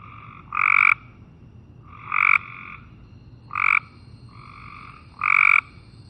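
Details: Cope's gray treefrog gives short, flat-pitched buzzy trills, each under half a second and repeated; it climbs in shrubs and trees, so calls seem to come from above the ground.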